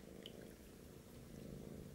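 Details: British Shorthair kitten trying to get milk from a Siamese male cat; a steady low rumbling purr runs throughout, with a faint soft click near the start.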